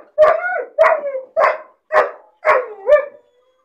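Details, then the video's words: Puppy left caged alone, whining from loneliness and boredom: five yelping barks with falling whimpered tails, about two per second, the last ending in a drawn-out whine. "Puppy crying and barking sound , loneliness and bored puppy cries"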